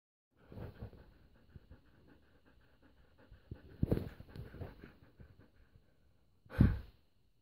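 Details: Female husky panting and breathing indoors in a small room, a soft irregular rhythm of low huffs with louder breathy bursts near the fourth second and again near the end.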